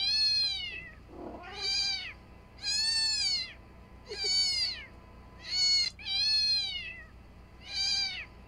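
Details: Domestic cat calling after a sound that cats reliably approach is played at home. Seven shrill, bowed meows come roughly every second, each rising then falling, with brief softer low sounds in the gaps.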